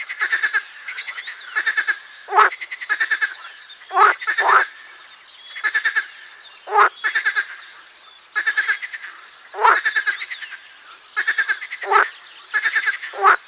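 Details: Marsh frog song: rattling, pulsed croaks in short bursts of rapid clicks, repeated roughly every one to two seconds, with several overlapping callers forming a busy chorus.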